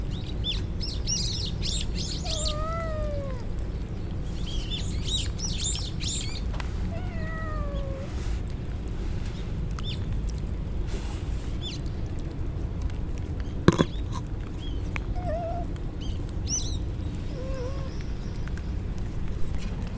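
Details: Stray kittens drenched in the rain as a typhoon approaches, crying out: several short drawn, slightly falling mews spaced a few seconds apart over a steady rushing rain roar, with brief high chirping bursts and a sharp knock midway.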